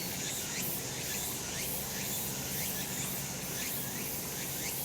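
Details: On a sunny summer mountain, cicadas fill the air with an even, high, hissing drone that pulses slightly, with faint quick rising sweeps scattered throughout.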